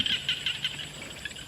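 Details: A chorus of frogs calls in an Isan rice paddy flanked by rubber plantations on a cool, cloudy evening that looks like rain, with quick, high rasping pulses overlapping.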